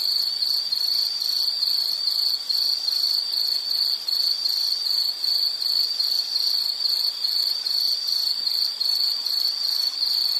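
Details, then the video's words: Steady insect song: a high-pitched pulsing trill beating rapidly and evenly throughout, with faint higher overtones and a light background hiss. "Sound · Nature Sound of nature sounds scenery L · insect"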